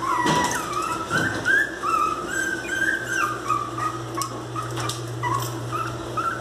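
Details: Angry miniature pinscher puppies whining: a run of thin, sliding whimpers, some wavering and others dipping, repeated rapidly over a constant low electrical hum.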